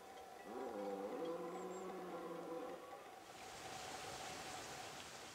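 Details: Red deer stag bellowing during the late-September rut in the Pyrenees mountains: a drawn-out, harmonic roar rising at the start and held for about two seconds, followed by a steady rain-like hiss.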